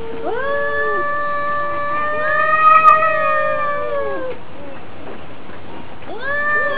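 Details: Two cats fighting over their neighbourhood: a sustained, slightly rising yowl lasting about four seconds, a short pause, then a fresh yowl starting up.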